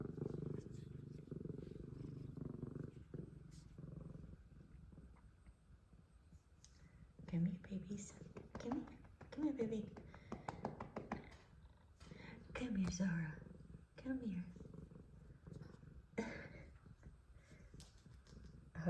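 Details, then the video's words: An F2 Savannah cat gives an extremely loud purr in a deep, steady rumble, with a person speaking softly nearby. "Extremely Loud Purrs From Sweet F2 Savannah Cat Zara"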